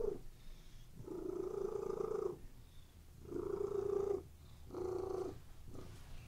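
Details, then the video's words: Pet cat resting on a bed gives a continuous purr, three strong rumbling swells roughly a second long, with quieter low vibration between them. "CATS PURRING RELAXING CAT VIDEO"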